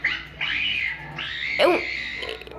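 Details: Dolphin making strange noises: clear whistled tones that waver up and down in pitch, broken by short gaps, with a sharp sweeping downward squeak midway through.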